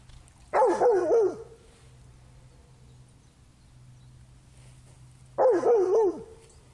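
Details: Black Labrador Retriever playing in a river after finding a stick on the bottom. Two short, tonal, wavering whines, each falling in pitch, come about four and a half seconds apart over a low steady hum.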